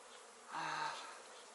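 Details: Honey bees kept by a beginner beekeeper: a loud half-second buzz swells in, a steady low droning tone with a broad hiss over it, then fades back into a constant background hum.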